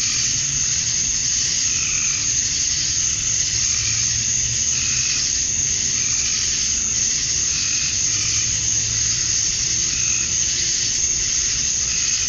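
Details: Male cicadas chirping to attract females at dusk on a summer night in Georgia, USA: a dense, unbroken high-pitched buzzing drone at steady loudness, with faint whistled notes repeating every couple of seconds beneath the chorus.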